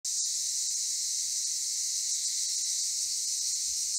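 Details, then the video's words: Cicadas in Akamas National Park, Cyprus, producing a dense, continuous high-pitched buzzing hiss that stays steady and unbroken throughout. "Cicadas in Akamas National Park in CYPRUS"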